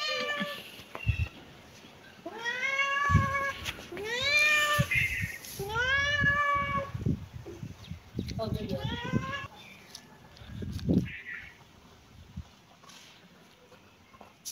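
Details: Cat and kitten playing in a yard, several rising-then-falling meows repeated every couple of seconds, with rustling, soft thumps and faint human voices between calls.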